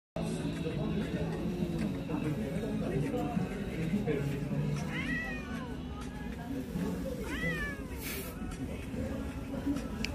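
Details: An Abyssinian cat out on a holiday walk gives two short, bending meows over busy café chatter and soft music.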